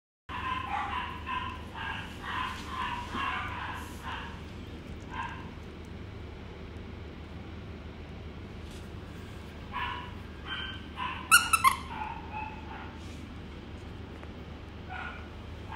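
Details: Young female Maltipoo giving high, short yips in quick bursts, clustered at the start and again near the end, over a steady low hum.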